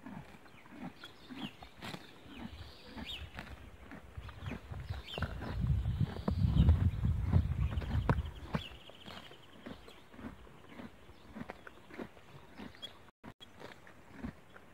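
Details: Horse grazing and eating grass: a dense run of crisp, crunchy tearing and chewing clicks, about four per second, growing louder and heavier in the middle, with a soft outdoor background.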